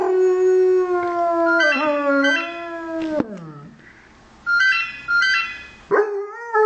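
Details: An 8-month-old German Shepherd howls along to a phone, giving a long, high, wavering howl that sags and breaks off, then rises again.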